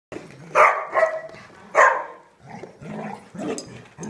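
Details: Dogs at a daycare, the big side, giving loud harmonic barks with several other dogs barking more quietly behind, uneven rhythm about once a second.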